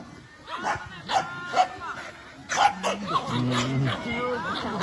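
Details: Dogs reacting to a drone overhead give short sharp barks and yips, mixed with people talking and a steady low hum.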